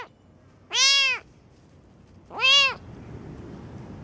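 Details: Two long, strong kitten meows about one and a half seconds apart, each swelling and then falling away, over a low steady background noise.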